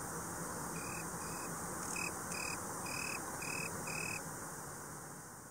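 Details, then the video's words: Italian tree cricket (Oecanthus pellucens) giving a run of about seven short, clear musical trills in quick succession before falling silent, set against soft background hiss. "Boomkrekel/Italian tree cricket (Oecanthus pellucens) Geluid/Sound"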